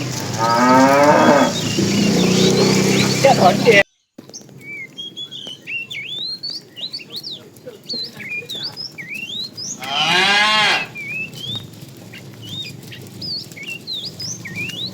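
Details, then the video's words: Tame cows being herded in the afternoon, a fat cow calling the female: two loud harmonic moos, a long one opening and a shorter one near ten seconds, with many chirping birds whistling in the background. "The funny sound of a fat cow calling the female"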